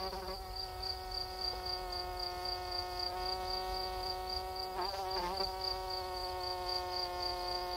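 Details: Night-time cricket giving a high, steady trill of quick even pulses, roughly four per second, running through the clip above a constant low humming drone.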